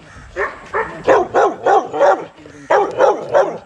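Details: Young Rottweilers in a kennel exercise yard barking: a rapid run of sharp, mid-pitched barks in two bursts, five then three, split by a brief pause.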